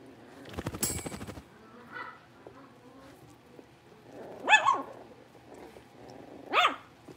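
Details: A litter of five young blenheim Cavalier King Charles Spaniels settling into their big puppy pen at home. A rough scraping burst comes first, then two high, short yips about two seconds apart, with quiet shuffling between.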